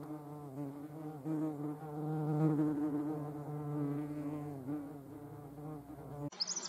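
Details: European hornet (Vespa crabro) near the Eifel, Germany: a sustained low buzzing flight hum with wavering pitch for about six seconds, ending in a brief burst of other sound.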